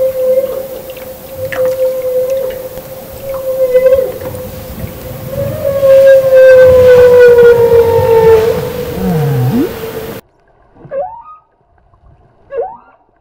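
A humpback whale gives a steady, low tonal hum with rhythmic pulses repeated over it.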